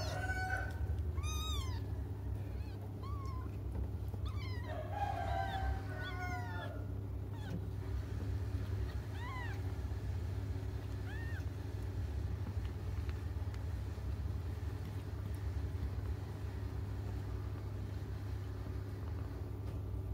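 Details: Crying of cats left waiting until their mother returns: a burst of quick, thin mews packed into the opening seconds, then a few isolated rising cries before quiet, over constant low hum and a faint distant rooster.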